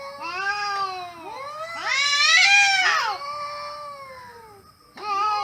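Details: Two cats talk to each other with drawn-out, overlapping meows that build to a loud, wailing peak in the middle, fade into a long falling tone, then break out again in a sharp new meow.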